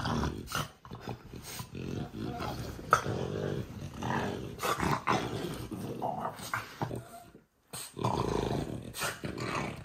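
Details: Low rumbling growls from Oleg, a French bulldog, rising and falling in repeated bursts, with a human voice mixed in and a brief silent gap near the end.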